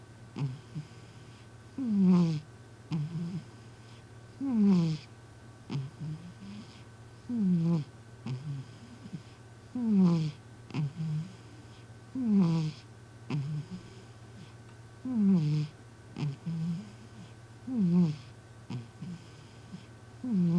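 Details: M, a cat, snores in its sleep indoors, each breath carrying a loud voiced rasp that slides downward in pitch. The rasps repeat about every two and a half seconds against a constant low electrical hum.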